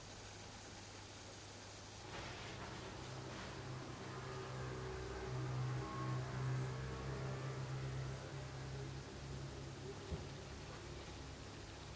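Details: Quiet indoor hum with a steady low drone, faint music-like tones and light rustling, but no cat voice audible.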